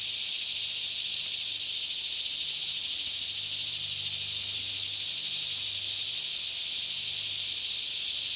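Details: Many cicadas singing together in a lush Kentucky forest near Franklin at about 10am, air fairly still; a constant piercing buzz that stays level and unbroken, while a weak low rumble drifts underneath.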